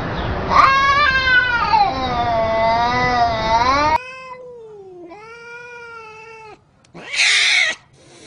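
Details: Domestic cat, one of several shown in wicked moments with other cats, dogs and humans, gives a long wavering yowl for about four seconds, then a lower drawn-out moaning wail, and a brief harsh noisy burst near the end.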